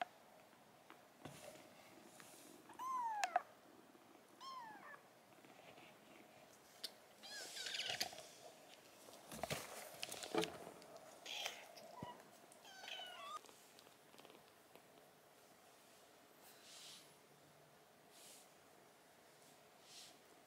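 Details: Sickly rescued silver tabby kitten, taken in urgently from Tokyo in 2021 and refusing food: thin, high, falling meows given singly every second or two, mostly early on, over quiet room noise and faint rustling.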